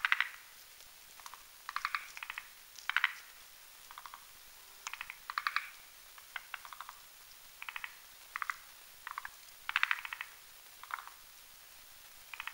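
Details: Forest green tree frogs, males and females, at night on a spindletree branch over a marshy mountain pond while whipping up a foam nest to spawn; short pulsed, rattling croaks in bursts roughly every half second to second, fairly regular, over quiet background.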